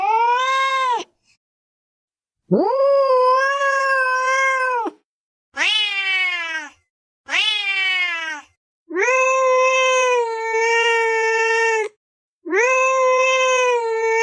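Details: Domestic cat calling with repeated meows roughly every two to three seconds: long level nasal cries alternating with shorter ones that drop in pitch, clear harmonics over silence.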